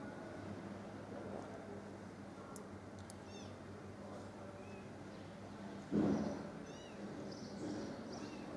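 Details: Stray mother cat that has found her kittens dead, filmed from far away with a zoomed camera: one short, loud meow near the sixth second over a steady background hum, with faint high bird chirps scattered through.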